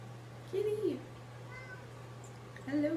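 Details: Kitten meowing twice, each a short tonal meow that rises and then bends down, the second starting near the end, over a steady low electrical hum in a quiet room.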